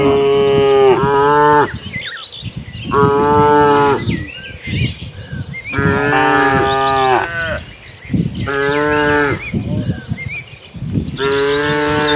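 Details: Village cattle herd heading to their pen: repeated long, loud harmonic moos from several animals, roughly every two seconds, overlapping at times, with faint bird chirps in the background.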